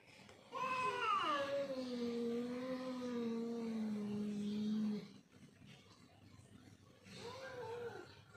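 A domestic cat lets out a drawn-out, moaning yowl, starting higher and sinking into a low, wavering drone for several seconds. After a pause a second, shorter wail begins, typical of cats squaring off over territory.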